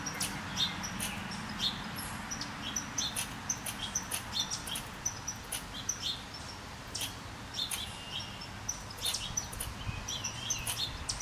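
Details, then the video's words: Red squirrel, very agitated by a second squirrel close behind it, gives sharp, clicking chirps at an irregular rate of one or two per second, some in quick pairs, over a steady hiss of background noise. "Agitated red squirrel"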